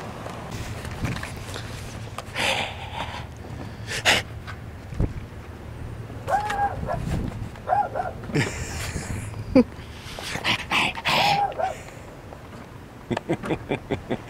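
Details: Little dog inside a parked car, barking at a man walking by and acting tough: short, sharp barks in quick clusters, mostly in the middle and later part, mixed with the man's teasing voice and outdoor background.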